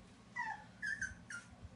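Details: Boston Terrier puppy named Peanut whimpering beside an empty bathtub, wanting a bath: three short high whines, the first sliding downward, over a low indoor hum.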